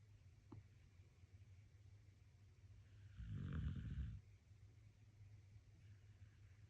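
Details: Pet dog asleep and relaxing, giving one low rumbling snore of about a second in the middle, set against a steady low hum and a faint click near the start.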